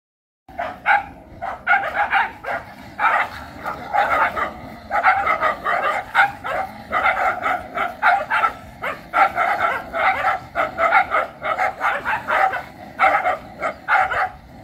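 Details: Dogs in the filmer's country barking over and over, harsh overlapping barks in dense bursts, several animals sounding at once with little pause for about fourteen seconds.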